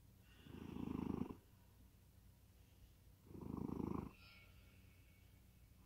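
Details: Domestic cat in deep sleep, snoring: two low, rough, pulsing breaths about a second long each, spaced roughly three seconds apart, with quiet pauses between them.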